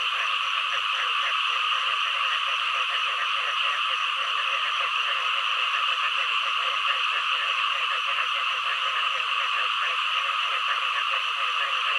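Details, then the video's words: Frogs and green frogs calling: quick, rhythmic low croaks pulse steadily beneath a dense, high, continuous trilling chorus throughout. "เสียงกบ เขียด frog sound 2"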